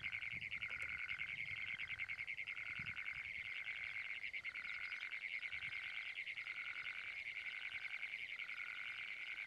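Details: A sustained, rapid, buzzing trill from a Great Plains toad runs without pause through the whole stretch. A softer, lower tone switches on and off roughly every second underneath, against a light background hiss.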